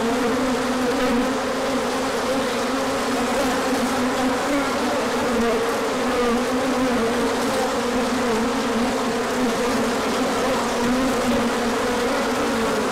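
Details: Orientation flight of many bees on a sunny day, 24 March 2024, after colder weather; a constant, full-bodied wing hum that shifts gently in pitch as insects pass.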